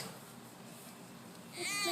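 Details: Baby sloth making noises while exercising at playtime: after quiet hiss, a short high squeaky bleat with stacked harmonics sounds near the end.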